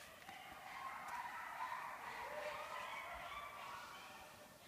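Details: A group of coyotes sings a nighttime chorus behind a house during the mating ritual, March 6, 2014. Several voices wail and yip at once in a steady, wavering wash of sound.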